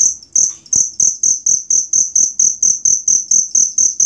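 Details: Cricket recorded as training material for songbirds: loud, high ringing chirps repeated steadily about three times per second, each pulse sharp and even, with faint low thumps beneath.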